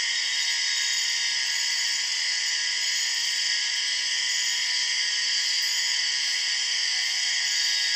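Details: Empress cicada, the largest and one of the loudest cicadas, known as the 6 o'clock cicada, in Borneo rainforest: a loud, unbroken high buzzing drone with stacked steady tones and no pause, filling the jungle soundscape.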